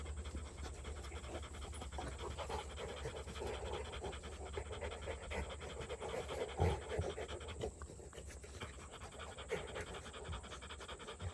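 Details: A pet Rottweiler from a family of Rottweilers pants steadily: quick, soft, breathy puffs several times a second over a low constant hum, with one brief louder rustle partway through.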